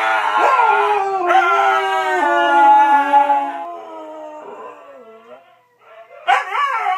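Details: Five pet Siberian huskies 'sing' a birthday song for their owner: long steady howls that slowly sink and fade, a short lower moan, then a sudden sharp rising yelp at the end.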